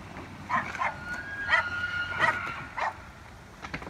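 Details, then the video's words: Street fight between elk in Evergreen, Colorado, October 19, 2018: a long, level, high whistle with a fainter overtone runs beneath several short, harsh knocking bursts, against a low background hum. "Elk Street Fight"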